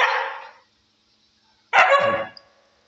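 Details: Angry Siberian Husky: a fading harsh bark at the very start, then after a pause a louder, raspy, strained bark with a growly low tail and a faint squeak at its end.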